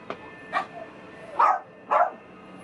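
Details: Female teacup-size Maltipoo puppy giving a few short, soft yips, four brief bursts spaced about half a second apart in a quiet room.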